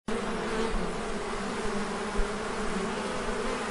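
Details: Honey bees inside a hive: a dense, steady humming buzz with a low droning undertone that holds evenly throughout, with no breaks or other sounds.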